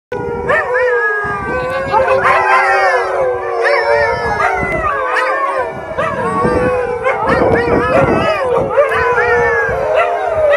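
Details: Several Alaskan Malamutes howling together at Eagle Heights in Kent, England: overlapping long wavering howls rising and falling in pitch, forming a continuous loud chorus with voices weaving over one another throughout.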